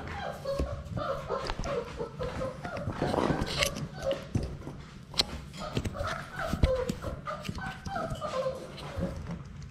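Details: Labrador Retriever puppies from a litter of six play indoors in their puppy play room and attack a GoPro camera up close. Short, high whining yips repeat in quick bursts, with human voices and scuffling knocks behind them.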